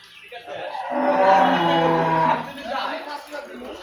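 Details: Dairy cow at a farm holding dairy and pregnant cows, giving one long, low, drawn-out moo lasting about a second and a half, swelling then fading, with faint background noise afterward.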